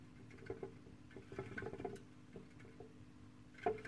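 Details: Syrian hamster, female, busy in her Ikea cage, captured with a Samsung Gear 360; scattered faint ticks and scrabbling taps, ending in a sharper knock, over a constant low room hum.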